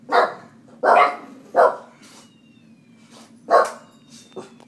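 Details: Household dogs provoked and annoyed at home, answering with loud, harsh barks: three in a fast burst, a short gap, then another bark and a faint final yip, over a steady low hum.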